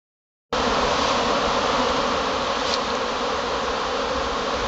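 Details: Buckfast honey bees making a cleansing flight after a cold spell, seen at an apiary: a dense, steady buzzing hum of many bees that starts abruptly after half a second of silence and continues unbroken.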